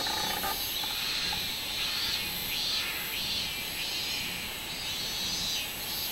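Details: Minminzemi cicada song recorded 24 July 2016, a dense high shrill buzz swelling and fading in repeated rhythmic waves, layered over a constant high hiss of background insects.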